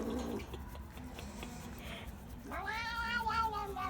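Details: Overweight domestic short-haired shelter cat in Philadelphia, US, having its rump scratched and making strange car-like noises of enjoyment; a brief low sound opens, then rustling, then a long rising, warbling harmonic meow in the last second and a half.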